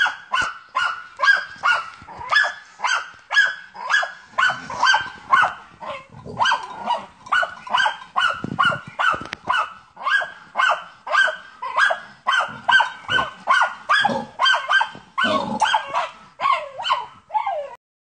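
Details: German Hunting Terrier named Ata von Jagdwald, hunting wild boar, gives a fast, steady run of sharp, ringing barks at roughly two per second, sustained for the whole stretch, with faint low rumbling and brief human voices in the background.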